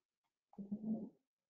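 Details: A humpback whale, a baleen whale, gives a brief, low-frequency, droning groan with a slight whooping swell.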